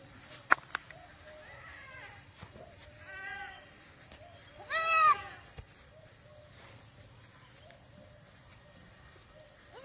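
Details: Barbari goats bleating: three wavering, harmonic-rich bleats near two, three and a half and five seconds, the last loudest and longest, with sharp knocks and clicks around them and a faint low hum.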